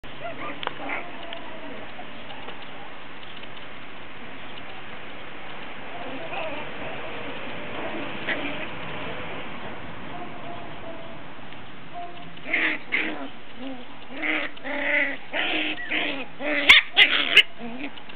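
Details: One-month-old Cairn Terrier puppies on one of their first outings in the garden give a run of short, high whimpers and squeaks after a quiet stretch.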